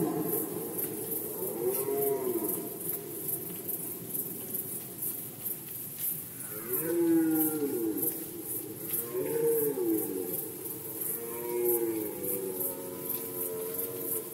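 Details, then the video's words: Red deer during the rut season in Poland, 2020, giving several deep, moaning, harmonic roars that swell and bend in pitch, spaced a few seconds apart, over a steady pulsing high-pitched background hiss. "Rykowisko jeleni, Rut season of Red Deer"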